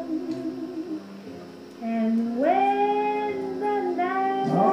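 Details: A Basset Hound howls along to Billie Holiday's "I'll Be Missing You" in long, drawn-out tones that swoop upward and hold.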